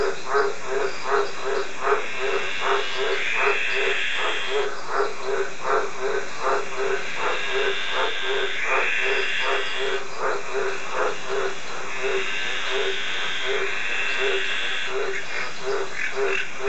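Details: A male White's tree frog (Litoria caerulea, green tree frog) calls with a deep, steady run of short croaks, with smaller frogs calling in the background and a faint insect hum.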